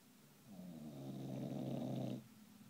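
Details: English bulldog named Gamète snoring: one long rasping inhale of about two seconds, a low rumbling snore with buzzy layered overtones swelling then stopping abruptly, in a quiet indoor setting.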